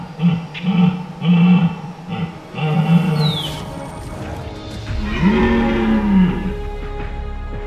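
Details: Red deer stag in the caldén forest of Parque Luro reserve, La Pampa, Argentina, during the March–April rut, gives deep, groaning roars to mark territory and gather a harem, with music playing behind.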